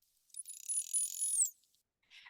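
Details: A narwhal calf's contact call, presumed to be the calf's from a recording alongside its mother's: a high, thin whistle held about a second, then sweeping down, given just before or after the mother's distinct call.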